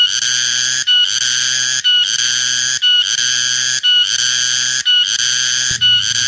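A cicada gives loud, harsh buzzing bursts, each about a second long, separated by brief pauses.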